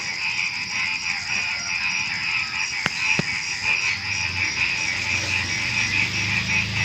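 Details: Frogs calling at night just before dawn, alongside crickets: a dense, continuous chorus of rapid pulsing croaks and trills, steady throughout, with two sharp clicks near the middle.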